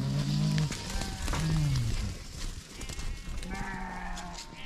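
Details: Sheep at a large mountaintop sheep farm; several wavering low bleats overlap in quick succession, loud and close, with background chatter and noise.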